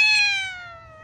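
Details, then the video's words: Ginger cat, one of several little and adult cats, meowing because hungry: a single loud harmonic meow that starts high and slides slowly downward, fading over about a second. "Ginger cat , little cats and adult cats all meow because they are hungry"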